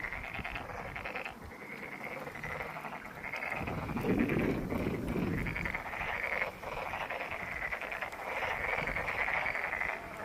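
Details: Frogs calling at Monet's Pond in Ulsan National Garden: a dense, unbroken chorus of rapid, rattling croaks overlapping at a steady mid-high pitch, with a brief low rumbling burst around the middle.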